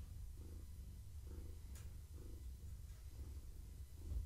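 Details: Pregnant long-haired tabby Gaia purrs indoors one evening as she is petted, a continuous low rumble pulsing in regular breaths about once a second, with a faint tick partway through.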